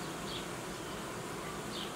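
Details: Steady, even droning of honey bee colonies in an apiary where young colonies are being created and old queens replaced. Two faint high chirps stand out above the constant hum.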